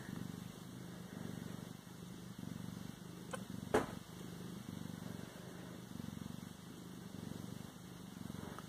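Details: {'caption': 'Low, even purr of a Siamese cat rising and falling in soft waves, with one brief knock midway and a thin steady whine behind.'}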